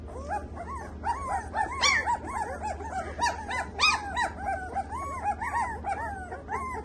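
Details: Samoyed puppies, KCI registered, in Delhi, India: a continuous tangle of rising-and-falling yips and whimpers from several pups, with a few louder sharp cries standing out, over a low steady hum.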